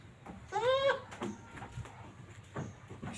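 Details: Jawa Randu goat kept for breeding gives one loud, wavering, nasal bleat of about half a second, rich in harmonics. Brief soft knocks and faint background noise follow.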